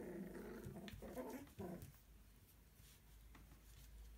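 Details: Puppies, followed from birth up to ten weeks of age, make a rough, harmonic growling grumble in several pulses over the first two seconds, then fall quiet against a steady low room hum.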